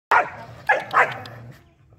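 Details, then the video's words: Dogs calling out as a monk strikes a bell. Three short, sharp barks come within about a second, followed by a low lingering hum. "Dogs always howl when bell ringing"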